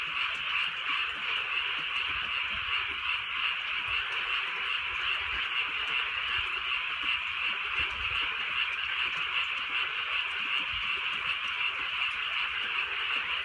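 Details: Countryside frogs croaking at night during light rain, many callers merging into a steady, shimmering band of rapid pulsed notes, with occasional faint low knocks in the background.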